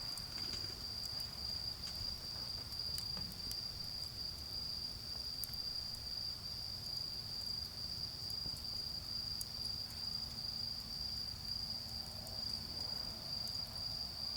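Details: In a garden with a charcoal bonfire, autumn insects keep up a continuous high-pitched trill. Sharp crackles from the fire punctuate it, and a faint low rumble runs beneath.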